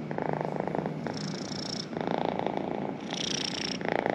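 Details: Close purring of a pet cat, a buzzing rattle alternating between two breath phases, each lasting under a second, steady and uninterrupted.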